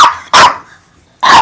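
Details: Two quick, loud, explosive barks from Armani, a pet dog protective of his Beneful food bag, separated by a short pause.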